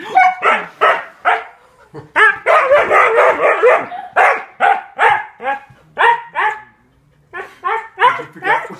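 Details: Siberian Husky barking and grumbling to tell off a cat that swiped at him after he sat on it; a run of short, harmonic yowling barks in bursts, dense in the middle, with brief pauses and a woman's voice nearby.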